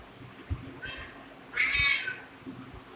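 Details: Domestic cat giving two meows, a short thin one and then a louder, longer, drawn-out meow, with soft low thumps and handling noise in a quiet room.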